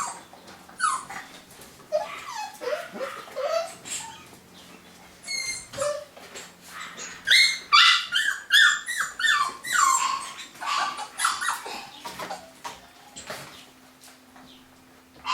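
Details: Several golden Cavapoo puppies from a new 2015 UK litter whimper and yip, high squealing calls with falling tails piling up in a dense burst midway, then thinning out, with a steady low hum behind.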